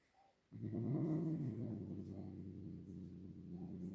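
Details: After a short quiet start, a house cat breaks into a deep, rough growl with a wavering, warbling rise early on, then settles into a sustained low rumble.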